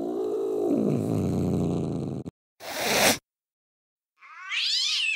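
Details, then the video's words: A low, rough, rumbling cat vocalisation lasts over two seconds, followed by a harsh noisy burst and, after a pause, a brief high meow. "ကြောင်အော်သံ | ေၾကာင္ အသံ | ကြောင်အသံ | Cat Voice | Cat Sound"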